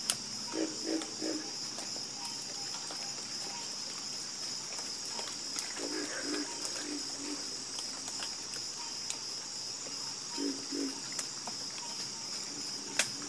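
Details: Croaking frogs in a chorus, giving rapid groups of two or three low pulsed croaks at uneven intervals against a persistent high, steady drone.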